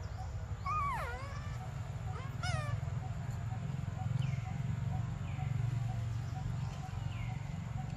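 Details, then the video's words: Baby monkey Briar cries for milk with a long, wavering, falling wail followed by a shorter steeply dropping cry, then fainter sliding calls trailing off over a steady low hum. "Desperate Baby Briar Cries For Milk"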